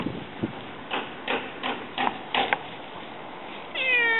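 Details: House cats, a male Siamese napping in a basket joined by a black-and-white female; several soft thumps and taps, then a short, clear, slightly wavering meow at the close.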